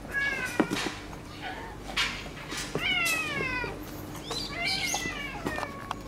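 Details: Meows from a friendly white-and-silver-tabby female cat whose resting place has been taken over by a rival cat: several bent, descending meows in quick succession, some overlapping, with brief knocks and rustling.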